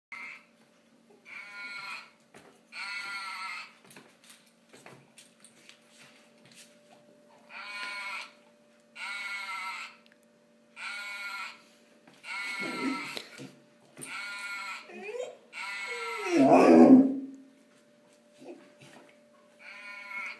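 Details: Golden retriever's first vocalizations, called singing: a series of steady, held tonal notes about a second long, repeated every second or so, then sliding, wavering whines near the end, over a faint constant indoor hum.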